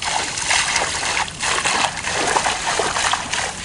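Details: Splashing and sloshing water fills the recording, with no animal voice heard.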